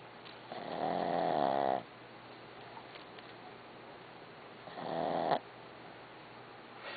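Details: Snoring of a dog named Barbie indoors: two rough, breathy snore bursts, each about a second long, separated by quiet pauses of roughly three seconds.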